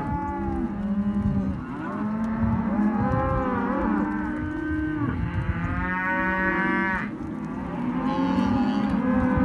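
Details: Hereford and white-faced calves penned in a sale lot, a chorus of overlapping moos, long harmonic bellows that swell and bend in pitch, one higher drawn-out call near the middle, constant low background rumble.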